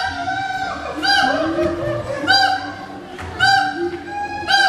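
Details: Endangered siamang singing to mark territory: loud, rich harmonic barks burst out roughly once a second between lower wavering tones, a rhythmic pulsing exchange.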